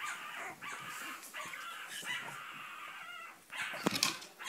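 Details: Long, steady, high-pitched whines from a Cavalier King Charles Spaniel, held for a second or more each, ending in a couple of sharp clicks or knocks.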